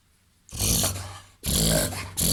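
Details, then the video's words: Reverse sneezing by a 21-month-old 30 kg mixed dog, part Labrador, golden retriever and Weimaraner: two loud, rough, gasping snorts, the second one long and sustained, with a short third burst starting at the end. "reverse sneezing labrador"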